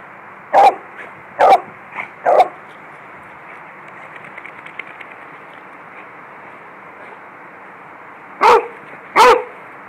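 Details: Yard play between a Beagle and a Lab: three quick, clipped barks, then a long quiet stretch of several seconds, and finally two louder barks close together near the end.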